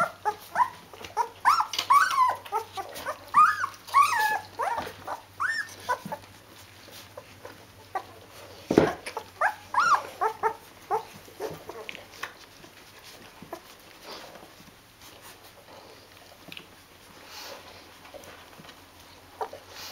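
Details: Rhodesian Ridgeback puppies from one litter, 14 days old, with their mother: a busy run of high, wavering whimpers and squeals in the first half, then quieter scattered squeaks and faint rustling.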